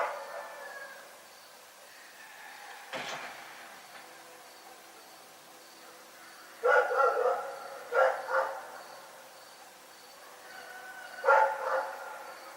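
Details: Rex, a dog, barking at night: a sharp isolated crack early on, then a cluster of harmonic barks around the middle with a double bark, and a final single bark near the end, over a quiet steady background hum.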